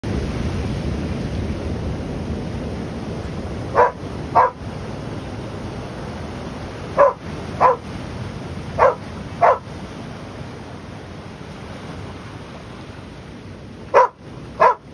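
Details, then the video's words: A dog barking at the waves: eight sharp barks in four quick pairs, each pair about half a second apart, spaced over the stretch against a steady wash of surf. "Dog barking at the waves"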